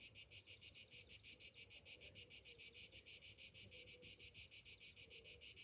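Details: Summer morning cicadas: a shrill, high buzzing chorus that pulses steadily about three times a second, each pulse swelling and fading, with no other clear sounds.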